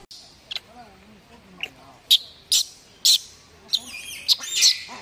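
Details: Male macaque with his head stuck and unable to get out, screaming for his mother to come save him: sharp, high shrieks in bursts about every half second, some wavering and tonal with layered overtones, over faint low background sound.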